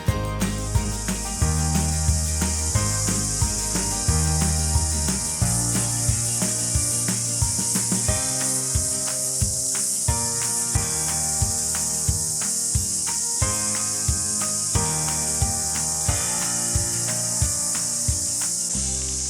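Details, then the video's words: Cicadas on New Zealand's South Island on a fine day after a tropical cyclone's remains make a steady, high, hissing buzz beneath music with bass and percussion. "That sound you can hear is cicadas. They're like big crickets about this long, and they make a real racket."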